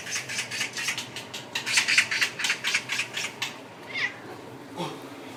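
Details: A timid Scottish Fold cat, frightened by a flock of magpies, chatters in quick, sharp clicking bursts, about five a second for three seconds, then gives a brief high, thin mew.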